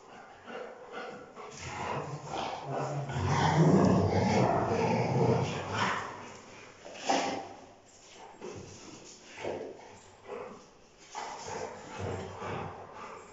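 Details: A Rottweiler gives deep, booming barks in short bursts, with a louder run of barking early on.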